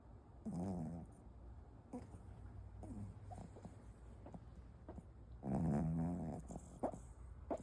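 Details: A sleeping dog snoring: rough, throaty snores with a low buzzing tone, one near the start and a louder one about five seconds later, softer breaths between over a steady low hum.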